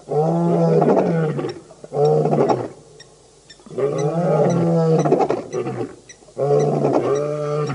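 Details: Birmingham Boys male lion coalition calling at the dam, Djuma Game Reserve in the Sabi Sand near Kruger Park, August 2016; deep, rich roars delivered in four bursts of roughly one to one and a half seconds with short quiet gaps.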